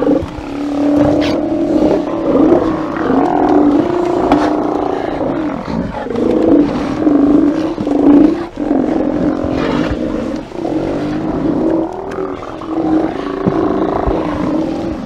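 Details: A crowd of Steller sea lions at a haulout roars and growls together in a deep, steady, overlapping chorus, 24 September 2018.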